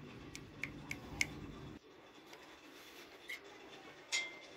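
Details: Sharp clinks of glass and dishes with faint ticking in a small indoor room; no animal voice.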